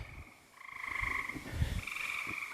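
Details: A chorus of spring peepers (Pseudacris crucifer) sings like crazy beside a road on a moist day when frogs are crossing, giving high, piping notes that blur into a steady shrill ringing.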